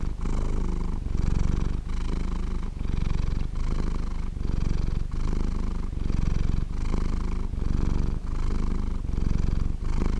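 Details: A domestic cat purrs steadily while sleeping, a deep rumbling vibration rising and falling with each breath.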